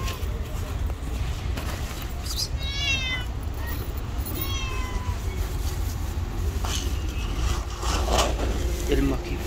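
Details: Tabby street cat living outdoors gives two drawn-out, harmonic meows, each rising then falling, about a second and a half apart, over a constant low rumble of urban traffic.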